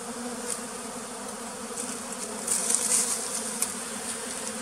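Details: Bee found at a farm in the flooded forest of West Tonle Sap Lake, Cambodia, giving a continuous low hum with a fainter higher overtone. Light ticking taps are heard midway through.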